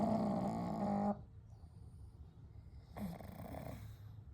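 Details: Sleeping together at night, the three pugs Kou, Gen and Shun: a loud, rattling snore for the first second, a pause of soft breathing, then a weaker snore starting near three seconds.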